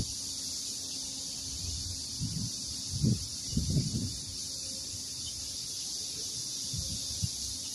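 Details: Cicadas singing on a farm garden near longan trees close to ripening, with bamboo nearby: a steady, unbroken high hissing drone throughout, with low thumps and rustling beneath.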